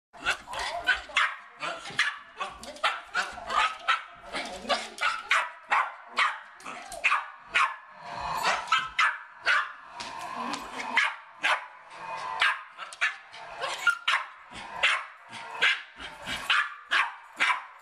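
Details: West Highland White Terrier freaking out while trying to get a squirrel, giving rapid, repeated sharp barks, roughly two to three per second, with some whining and a person's voice in between.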